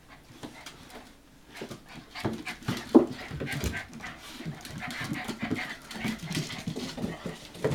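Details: Litter of 65-day-old Hokkaido dog puppies, Hana's young, filmed 18 February 2011 deciding whether to step down; quiet start, then rapid soft panting with a brief thin whimper and scuffling movement.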